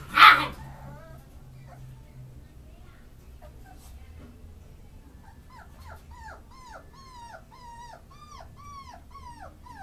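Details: Tricolour female beagle puppy: a sharp loud burst opens, then quiet, and from about halfway a steady run of high, whiny, arching whimpers repeats roughly twice a second over faint low background rumble.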